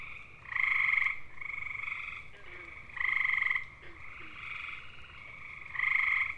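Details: Calling male gray tree frogs, Hyla versicolor, seeking a mate: loud bird-like trills of about half a second recur every two to three seconds, answered by quieter trills from neighbouring frogs.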